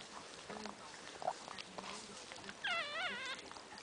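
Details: A newborn female Boston Terrier puppy, the first of a litter of five and just delivered, gives a thin, wavering, high squeak while a person speaks softly nearby.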